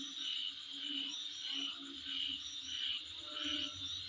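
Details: Insect chorus outside a house, with a constant high-pitched drone and brighter whistled pulses swelling and fading about every second, over a faint low hum.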